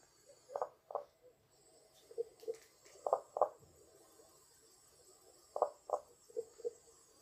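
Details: Common spadefoot, Poland's only spadefoot species: muffled, knocking double notes like 'kok-kok', each pair quickly repeated, several pairs spread across a few seconds, some softer and lower. Faint hiss in the background.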